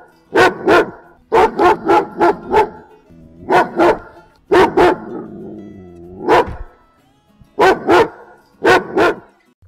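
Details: Barking German Shepherd giving short, punchy barks in clusters of one to four, with a low grumbling sound in the gaps and irregular spacing between bursts.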